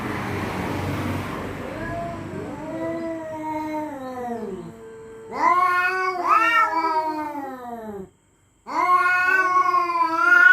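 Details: Cats facing off over territory at night; a burst of noise gives way to slow, sliding moans that grow into loud, strained yowls, one brief gap, then renewed wailing.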